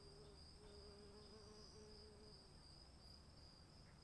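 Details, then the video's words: Crickets trilling steadily in the rain, a bright continuous high note with slight pulsing. A lower repeated tone sounds in short bursts over the first half, set against the hiss of falling rain. "cricket sounds in the rain"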